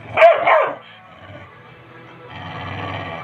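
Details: Labrador Retriever, described as angry, gives two quick harsh barks in close succession, then a woman's voice in Hindi scolding it.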